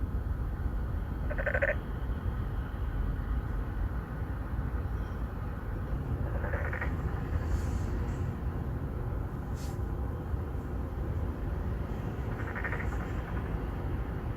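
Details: Three or four narrow-mouthed frogs, 맹꽁이, calling to attract females from a pond in an apartment complex in Songdo, Incheon, Korea, recorded on a Galaxy Note9 phone; short nasal calls at roughly five-second intervals over steady low traffic rumble.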